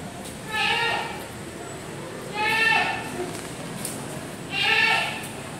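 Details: Mountain goat among farm animals in a park garden at Gading Serpong, Indonesia, bleating three times roughly every two seconds, each call short, quavering and nasal, over low ambient noise.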